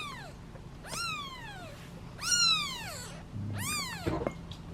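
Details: Hungry kittens, seven in a litter, waiting in a basket at feeding time and meowing impatiently; four loud arched meows about a second apart, each rising then falling, with a low hum underneath.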